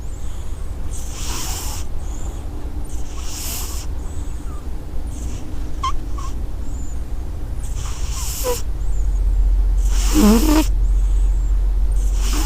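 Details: Cat snoring in regular breathy, hissing bursts about every two seconds, some carrying faint whistled squeaks, over a steady low hum.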